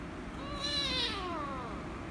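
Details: Rescue kitten, angry at being petted, gives a single drawn-out meow that rises slightly then falls in pitch, fairly soft against a noticeable low background hum.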